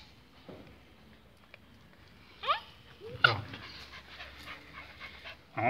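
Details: Pinschers getting their walking leashes put on by their owner, squirming and dodging: two quick rising whine-yelps about a second apart, then a louder burst at the close, over handling rustle and a quiet room.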